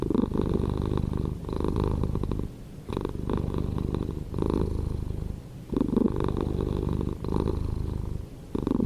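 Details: Cat purring steadily: a low, rough, throbbing rumble that swells and fades with each breath, loud phases lasting about a second and a half separated by brief softer dips, about six cycles in all, with no other clear sounds.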